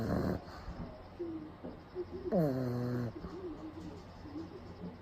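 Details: Leo the pug naps in the daytime with eyes rolled back, snoring loudly, recorded close up: a rough snort at the start, then low rumbling breaths and a drawn-out, descending, groaning tone midway through.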